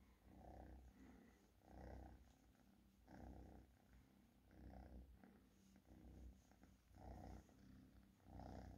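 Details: Close, rhythmic purring from a domestic cat: low, vibrating rumbles rising and falling with each breath in steady pulses, nothing else audible.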